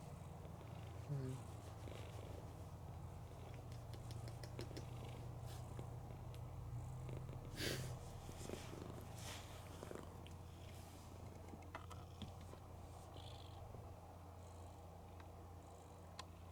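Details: Female house cat Mookie sleeping with her eyes open and snoring loudly; a continuous deep, rhythmic rumble carries on throughout, broken by a few short clicks and handling sounds.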